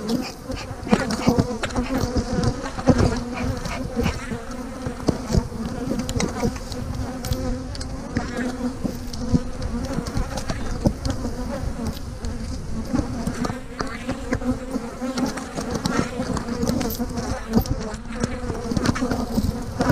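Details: Honey bees hum steadily around an opened hive on a day of splitting colonies with queen cells, a dense low drone with harmonics, broken by frequent sharp knocks and clicks of equipment being handled.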